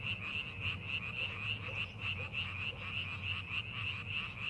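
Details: Frogs calling in rice paddies being prepared for farming: a dense chorus of rapid, pulsing croaks around a bright high band, about three pulses per second, with a low rumble underneath.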